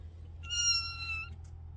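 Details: A single kitten meow, a thin, steady high cry held just under a second with clean harmonics, slightly quieter and set against a low room hum.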